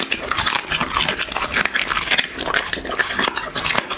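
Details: Close crunching of a dog eating, made for an ASMR eating show: crisp, bright bite clicks in uneven bursts, with brief softer gaps.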